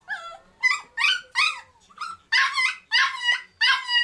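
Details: Black-and-tan male Kaninchen Dachshund puppy, under a year old, kept in a cage in Chiba, demanding release and wanting attention: high, harmonic whining yips with rising and falling pitch, about three per second, some run together into longer whines.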